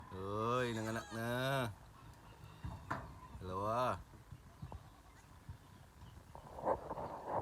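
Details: Goat that has just given birth to twins, with two long wavering bleats close together, a third drawn-out bleat after a pause, and people talking nearby.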